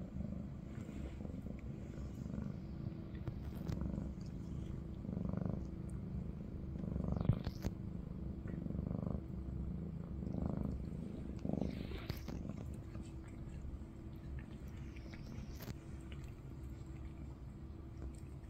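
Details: Maine Coon purring among a caring cat family around kitten Ada, a continuous deep rumble holding for the whole stretch, with a few brief soft rustles and small taps over the top.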